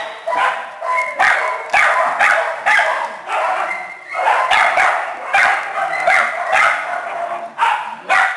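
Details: Shelter kennel of small dogs and puppies: a continuous din of shrill, overlapping yaps arriving in quick bursts, with only brief dips between volleys.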